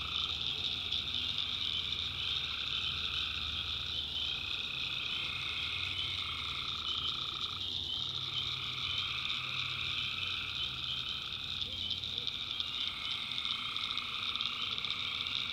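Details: Dense nighttime chorus of tree frogs in a North Carolina swamp, many overlapping pulsed calls starting and stopping every few seconds, backed by a steady shrill cricket buzz.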